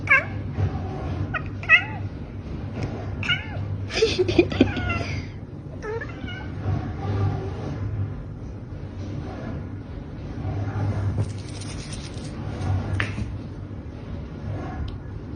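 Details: A cat that meows whenever nobody plays with it, giving a run of short, bent meows and clicks over the first six seconds, then a steady low hum and faint rustling for the rest.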